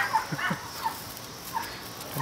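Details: Four 7-week-old male Toy Schnauzer puppies (two liver parti, one black and white parti, one black and silver) romp and play outside, giving short high yips in four spaced bursts over a faint steady outdoor hiss.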